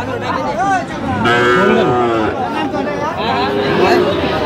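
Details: Sahiwal bull calf at a crowded cattle market in Kurigram, Bangladesh, 18 October 2025, giving a drawn-out, harmonic moo that wavers in pitch, half-buried under steady crowd chatter and men calling out bids.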